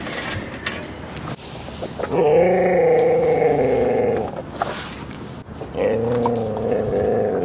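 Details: Dogs at play at Seal Point Dog Park on the western side of San Francisco Bay, 14 September 2015, Rosy and Rocky with a husky puppy; two long, drawn-out, tonal growl-howls, each held about two seconds, over a noisy outdoor background.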